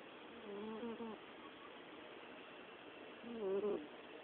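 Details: Sleeping orange cat with its coo-purr-snore: two droning, cooing breaths, the second sharper and rising slightly at its peak, separated by a couple of seconds of near silence.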